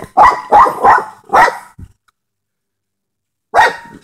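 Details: A dog barking at a groundhog: four sharp, rapid barks in quick succession, a short trailing huff, then about two seconds of silence before a fifth loud bark.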